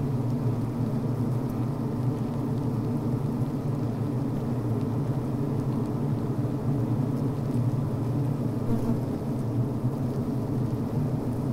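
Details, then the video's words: Healthy honey bees recorded inside the hive on the brood frame, where workers vent, beep to each other, chew and build beeswax comb. A dense, steady, low droning hum runs unbroken, with no other sounds. "Sounds from Inside the Bee Hive, Healthy Honey Bee Sounds"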